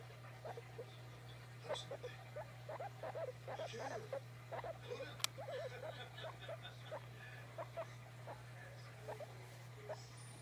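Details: Pet guinea pig calling because it wants to be petted: short squeaky chirps repeated irregularly across the clip over a steady low indoor hum, with light rustling.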